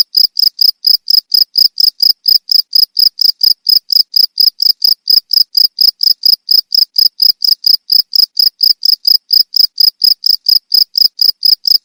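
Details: Steady, insistent cricket calling made of bright, high chirps at a regular pace of about three to four per second, uninterrupted and free of other noise.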